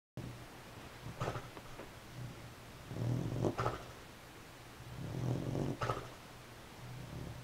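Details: Sleeping beagle snoring indoors: low, rasping, breathy snores in slow bursts about every two to three seconds, with quiet pauses between breaths and a faint steady background hum.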